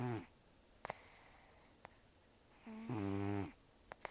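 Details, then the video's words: Nearly toothless rescued senior cat Tarō sleeping and snoring loudly: the tail of one snore, then sharp nasal sniffs and a long rattling buzzy snore that rises and holds before stopping abruptly, in a quiet indoor space. "ねこのいびき 猫 いびき"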